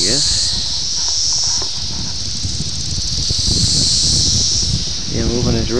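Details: Periodical cicada chorus of Brood X, emerging at Ayersville, Ohio, June 18, 1987, on VHS tape: continuous shrill high buzzing with two louder swells, a man's voice briefly at the start and end, and low background rumble.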